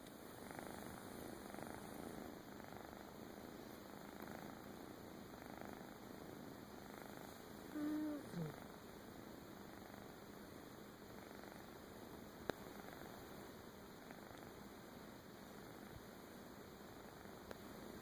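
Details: Cat purring in a soft, steady, low rumble that pulses rapidly and evenly throughout, very quiet overall, with one brief higher squeak near the middle and a faint click later on.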